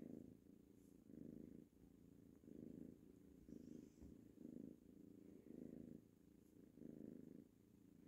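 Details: Purring from Tango, a young ginger tabby kitten, contented while playing with a mouse toy: low buzzing purr in regular bursts about every second and a half, soft background rustle.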